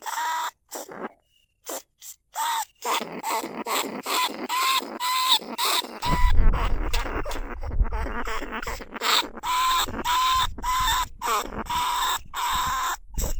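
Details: Lesser bandicoot rat recorded live in rice fields at Na Lao, Nong Khu Phai, as a lure to draw rats from burrows into traps: after near-silence with faint clicks, harsh broadband rasping bursts repeat in quick runs over a low rumble.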